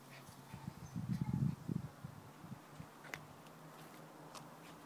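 A Lhasa Apso gives a brief burst of low, grumbling rough-play vocalizations, then falls quiet.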